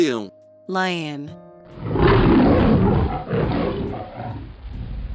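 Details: Lion giving a deep, rough roar lasting about three seconds that swells and then fades. A short spoken word comes just before it, and steady background music plays underneath.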